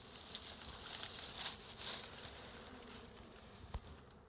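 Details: Bees swarm around a large wild hive hanging from a tree branch in forest, producing a continuous high, whining buzz that swells as insects fly close, with a couple of faint ticks.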